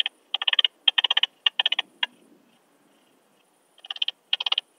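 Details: Loud, crisp ticking pulse groups from an Alpine saw bush-cricket in Brixen, Italy, 11 September 2022, heard through a Pettersson D 100 ultrasound detector; a run of rapid clusters, a pause of about a second and a half, then the clicking resumes.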